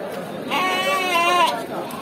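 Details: Sheep at the Yemmiganur sheep market, one wavering bleat lasting about a second amid loud crowd chatter and voices.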